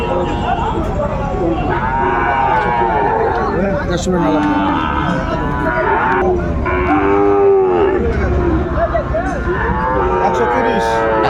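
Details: Late-day cattle market on 27 December 2024 with Sahiwal bull calves for sale: a series of arched, wavering moos from several animals, spaced a few seconds apart, over a busy background of people talking.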